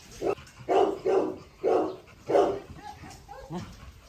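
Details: Pregnant Rottweiler Aila, 46 days along, confronting a rival dog after a meal: five deep, even barks spaced about half a second apart, followed by softer, trailing vocal sounds and low background noise.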